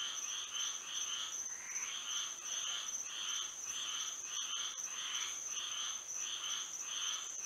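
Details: Frogs singing at night under moonlight in Florida: repeated pulsed croaks banded near the upper-middle range, about two per second, over a steady high insect drone throughout.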